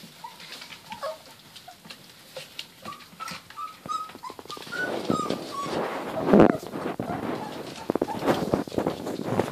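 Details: Border Collie puppies, 28 days old, playing together: thin high whines and short squeaky yips rise and fall, getting busier and louder in the second half, with scuffling and knocking noises around them.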